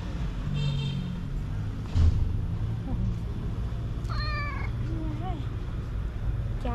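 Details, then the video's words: A white-pawed cat greeting beneath an olive tree gives one clear harmonic meow midway, a short wavering cry, while a person talks softly nearby over a low rumbling background. "The cat with white paws greets me with its cute meow"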